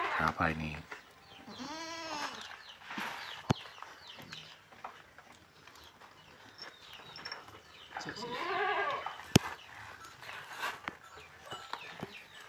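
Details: Boer goat kids, fullblood, around three and a half months old, penned at a Blitar farm during weighing: two arching, quavering bleats about six seconds apart over a low, quiet barn background with occasional sharp clicks.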